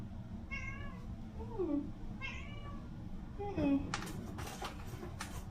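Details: Domestic cats meow indoors in the Philippines during a morning cat-sitter visit while wet food is readied for breakfast; roughly four harmonic meows across five seconds, two sliding downward in pitch, followed by clattering of dishes and food preparation.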